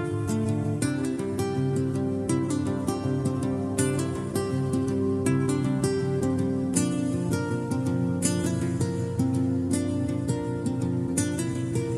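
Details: Gentle plucked acoustic guitar music plays steadily throughout with no other sounds standing out.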